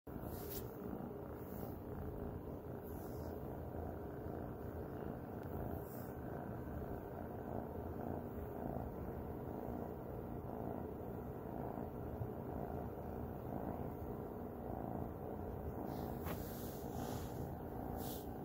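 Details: Luna, a cat, purring while snuggling: a steady low rumbling purr runs unbroken through the whole stretch, with a few faint brief rustles or clicks.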